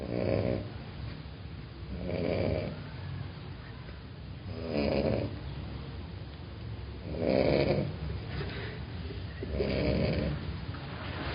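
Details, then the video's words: Small female Dachshund in Mexico snoring while asleep, with five broad rasping breaths roughly every two and a half seconds, each a low rough swell with quieter gaps between. "Perrita salchicha roncando"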